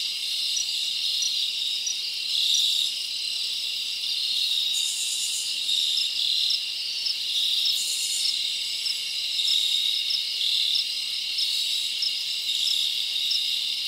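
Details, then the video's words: Summer night in the forest, with many crickets chirping together in a continuous shrill high trill. Brief brighter, hissing bursts rise above the chorus around five and eight seconds in. "Live Crickets Natural Sound"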